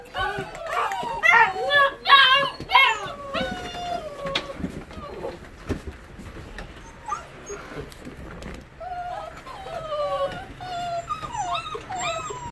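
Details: Sixteen Basset Hound puppies, eight weeks old, at bedtime: a chorus of high, wavering whines and yelps overlapping loudly through the first three seconds, then quieter scattered whimpers and rising squeals toward the end.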